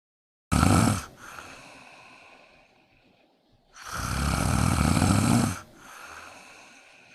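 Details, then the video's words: Kitten snoring in deep, relaxed sleep beside a person: two long rasping inhaled snores with broad noisy texture, each followed by a softer, fading exhale, separated by near silence. "Kitten Snoring(for fun)/ cat snores while sleeping next to me!!"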